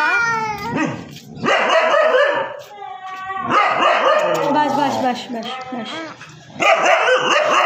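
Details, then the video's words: Siberian Husky giving loud, drawn-out, harmonic howling barks in three main bursts, each about a second long, with quieter whining between them and some human voices in the background. "Husky Barking Video"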